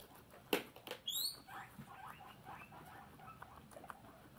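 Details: Pet guinea pig indoors giving a few short high squeaks and chirps, one sharp rising whistle-like squeal near the start, followed by soft muttering chatter and light rustling.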